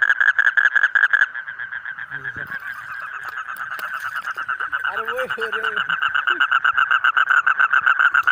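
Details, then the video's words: Rapid pulsed frog calls from colourful frogs, yellow, green, red and more, run continuously, fading slightly in the middle while a brief human voice cuts in, then swell again toward the end. "Different Colorful Frog Sound ।। Yellow, Green, Red, etc"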